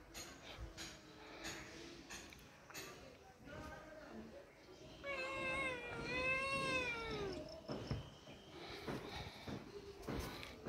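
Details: Domestic cat voicing one long, tonal meow that swells and then falls near the middle, with scattered thuds, handling noise and faint voices around it.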